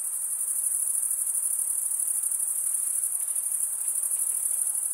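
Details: Cricket song made by wing stridulation, usually by males: a shrill, constant high buzz with fine, fast pulsation and no pauses across the few seconds.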